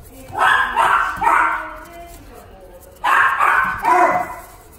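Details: Jack Russell Terrier at a pet shop giving two sets of three quick, high, rough barks about a second and a half apart, with some room noise behind.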